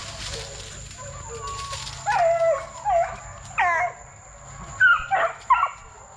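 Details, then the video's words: Young Plott Tans, a Plott hound crossed with a black and tan coonhound, aged 8 weeks to 5 months, raised at TTG Kennels: a run of short whining yelps and bending, wavering howl notes, some rising then falling, spaced irregularly. "Plott Tans from 8 weeks to 5 months"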